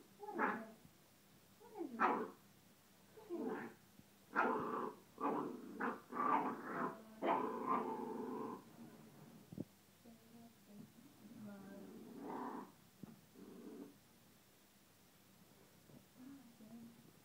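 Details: A very young Scottish Terrier puppy unsure about a blueberry it is tasting. It makes short, harmonic, whiny grumbles and growls, roughly one per second, in a quick cluster. A few softer, fainter whines follow after a pause.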